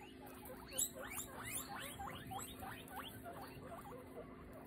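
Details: Guinea pig squeaking during nail clipping: a rapid run of short, high, upward-sweeping squeaks repeated about three times a second, steady in pitch, over a faint constant hum.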